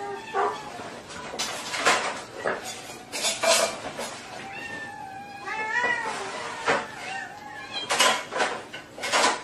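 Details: Domestic cat meowing in short, wavering, harmonic cries near the middle, surrounded by loud clattering knocks and thumps like dishes or objects being moved, with faint voices.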